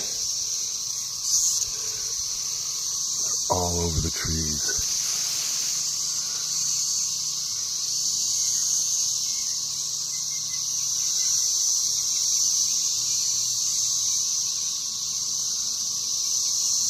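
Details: In Western Kentucky near Lake Barkley, a dense swarm of periodical cicadas forms a steady, high-pitched, droning whine that never lets up.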